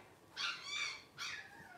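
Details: Newborn blenheim Cavalier King Charles Spaniel puppies at twelve days old, litter of five, utter two high, harmonic-rich whining squeals in quick succession, each about a third of a second long.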